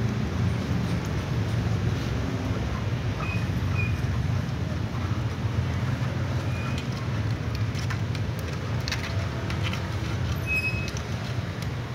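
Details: Steady low traffic rumble with a few faint, brief tones and no clear animal voice. Outdoor noise dominates throughout.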